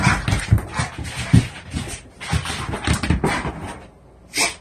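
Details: Blue pit bull, one year old and 90 lbs, indoors needing to defecate, makes rapid, low, breathy grunting whimpers in quick succession, ending with a short, higher whine.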